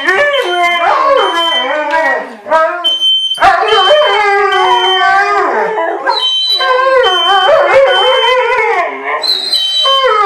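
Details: Siberian Husky and German Shepherd howling together at home in response to a smoke alarm set off by cooking; overlapping wavering, sliding howls rise and fall, while the alarm's steady high beeps sound in short repeated bursts.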